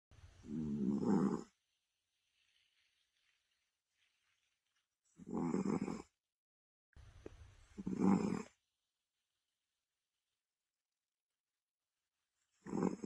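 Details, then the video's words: Sleeping pet cat snoring indoors, harsh low rumbling breaths lasting over a second each, arriving roughly every five to six seconds with silent pauses between. "Mommy says i snore like an old man"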